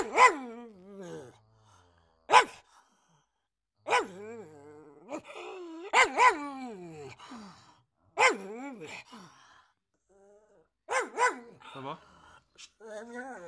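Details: Pug barking repeatedly, roughly every one to two seconds. Each bark carries a moaning, falling tail, and some come as quick doubles.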